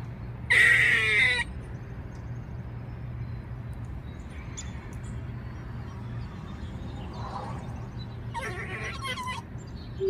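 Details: Distressed female squirrel crying: a loud, harsh, shrill cry lasting under a second, then quiet, then a second, softer rasping cry near the end, over a steady low hum.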